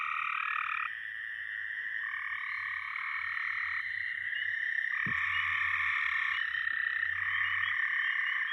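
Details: Overlapping frog voices form a thick chorus in which steady trilled notes at several pitches start and stop in blocks lasting about a second, while a soft low pulsing runs underneath and a sharp knock sounds near the fifth second.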